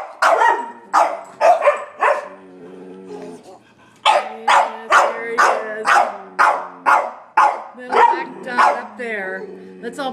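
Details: Sheltie, Collie and French Bulldog barking at a squirrel on a rainy day in March; quick volleys of sharp barks, a brief lull near the middle, then rapid continuous barking from several dogs at once.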